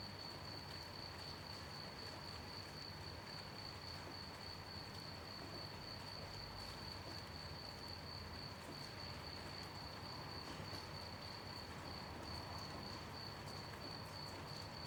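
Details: Crickets chirping at night during gentle rain: one steady, high, unbroken ringing tone holds through the whole stretch, under a constant hiss and patter of falling rain.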